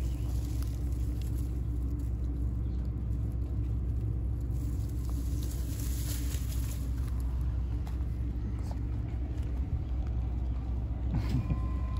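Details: Steady low engine rumble from passing road traffic outdoors, with faint scattered voices and light patter, and no animal calls.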